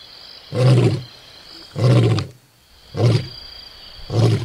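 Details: Lion recorded up close at Onguma Game Reserve, Namibia, producing four short, low, rough grunting bursts about a second apart, breathy and noisy rather than tonal, with a faint steady high hum behind.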